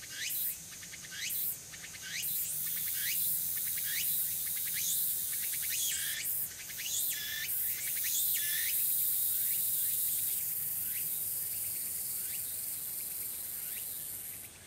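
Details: Tsukutsuku-boshi cicadas, which begin singing gradually from the afternoon, recorded in early autumn on 6 September 2022 at Furuta Magarikawa, Nishinoomote, Tanegashima, Japan. Rapid rising buzzy phrases repeat densely, then fade toward the end over continuous high insect hiss.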